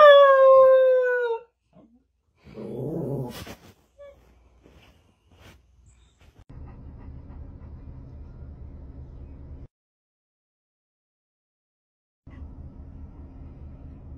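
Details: Dog in a funny pet compilation giving a loud, drawn-out, falling howl-whine for about a second and a half, followed by a short muffled thump, then quiet background hum.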